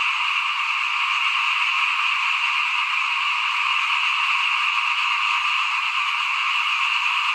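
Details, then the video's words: Many small frogs calling in front of a house at rice sowing time in 2021: a dense, unbroken chorus of overlapping croaks. Steady mid-to-high trilling bands hold level throughout, with no pauses and no other clear sounds. "ฟินๆกับเสียงเขียดร้องหน้าบ้าน ตอนหว่านข้าวเตรียมปลูกปี2021"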